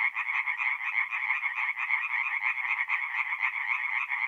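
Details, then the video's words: Tree frogs singing at night at a forest pond in mid-April in north-east Italy; a dense chorus of rapid, rattling croaks overlapping continuously, many frogs calling at once with no other sounds. "relaxing forest pond by night with singing tree frogs"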